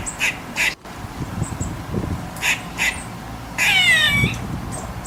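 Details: Squirrel giving a few short, harsh chucks, then a drawn-out, wavering, falling squeal near the end over low background noise.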